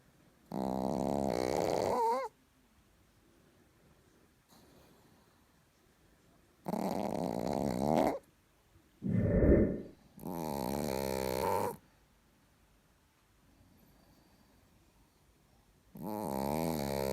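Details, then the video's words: Sleeping Chihuahua called Richard snores in a quiet room, drawn-out wheezy snores of about 1.5 to 2 seconds recurring every few seconds, one with a wavering whistle, plus a shorter lower grunting breath between them. "ЧИХУАХУА РИЧАРД СПИТ И ХРАПИТ СЛАДЕНЬКО"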